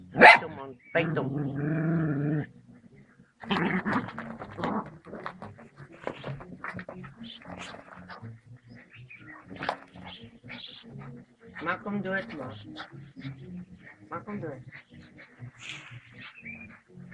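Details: Puppy confronting a king cobra, with low growling bursts and harmonic whines early on, then scattered growls and yaps mixed with people talking and urging it on throughout.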